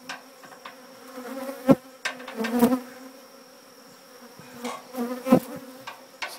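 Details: Honey bees clustered near their old hive during its removal from an old church, a steady low droning hum throughout, with sharp knocking and tapping thuds from the removal work and a faint steady high tone.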